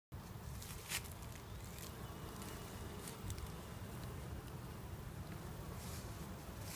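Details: Honey bee colony thought to be about to swarm, after hatching a second queen; a steady low droning hum fills the clip, with a few faint higher clicks and ticks on top.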